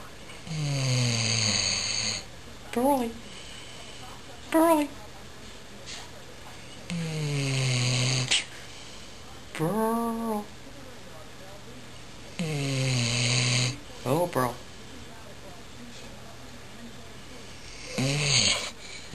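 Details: Pearl, a pet dog, snorts and snores while awake indoors: rough noisy bursts repeating every few seconds, broken by short whining rising tones.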